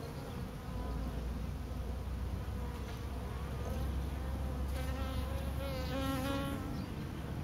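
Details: A swarm of bees on a pine tree drones steadily in a thick, low buzz, as individual bees pass close with wavering, rising-and-falling whines in the second half.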